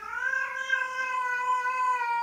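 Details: Cat (Felis catus), caterwaul: female in heat calling to attract males.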